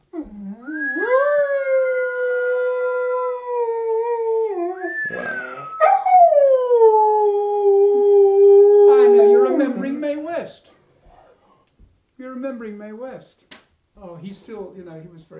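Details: An old pet dog howling indoors with its owner: long sustained tonal howls, each held several seconds then sliding down, followed by shorter wavering yelps and brief pauses near the end.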